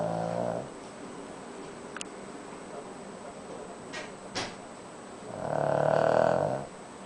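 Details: Sleeping Shih Tzu dog snoring softly at home: a buzzy, droning breath at the start and another longer one near the end, separated by a quiet stretch with a few sharp keyboard clicks.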